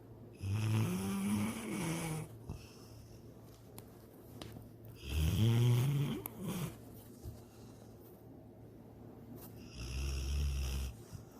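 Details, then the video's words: Sydney, a pet dog, snores in her sleep while dreaming of chasing a rabbit; three low rumbling snores about four to five seconds apart, each rising into a rattling throaty buzz, with faint breathing and room noise between. "My SNORING DOG SYDNEY!"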